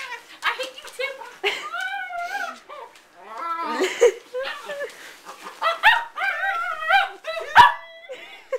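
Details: Playful puppy, half pug and half chihuahua, mock-attacks during a game. It gives whiny, wavering grumbles and short yelps in close bursts. A sharp knock sounds near the end, and a person speaks between noises.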